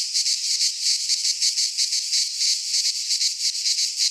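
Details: Midsummer cicada chorus in a pine forest in Greece, a steady shrill hiss with quick rhythmic pulsing, several beats each second, loud and unbroken throughout.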